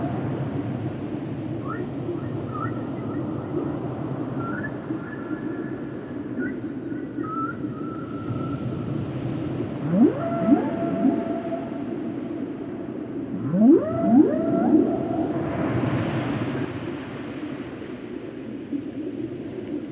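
Level, wavering high tones come first, then groaning calls that sweep steeply upward from low to mid pitch in quick pairs. A steady deep rumble of water noise runs underneath throughout.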